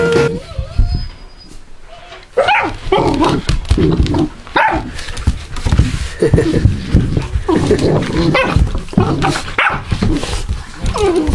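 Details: Two 12-week-old golden retriever puppy brothers, newly reunited, trade dense bursts of short yips, barks and rough growly play noises, overlapping and nearly continuous, with a brief lull near the start.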